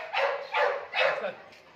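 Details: Male British Labrador Retriever Oscar gives three evenly spaced barks, about half a second apart, as his handler offers him something and talks to him in Hindi.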